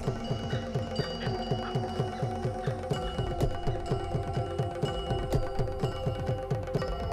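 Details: Steady instrumental music with repeated mallet percussion notes and bell-like chimes over a low drone, and no animal sounds.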